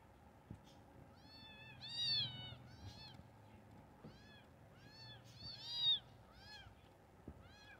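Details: Kitten meowing: several short arched mews, high and thin, a few loud peaks around the second and sixth seconds, with quieter mews between them.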